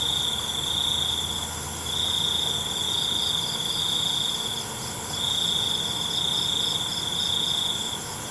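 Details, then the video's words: Night crickets keep up a shrill, high-pitched trill that pulses in long bursts of a few seconds each, layered over a constant ringing insect drone and a soft low-frequency hum. "ALUNAN CENGKERIK MALAM"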